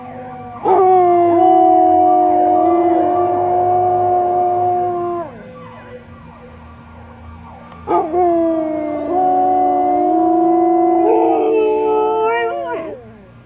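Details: Several Samoyeds howling in harmony, sustained pure tones stacked at two pitches and held for around five seconds, then a second chorus that rises in pitch near its end.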